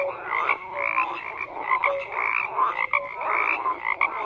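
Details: Frogs croaking en masse: a steady wall of overlapping pulsed calls with short tonal notes and upward-sliding chirps repeating about twice a second, no other sounds.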